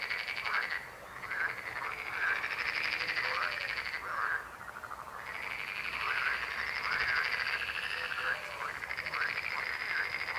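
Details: Chorus of frogs croaking together, dense overlapping pulsed calls repeated in waves, with a lull near the fifth second before the croaking swells again.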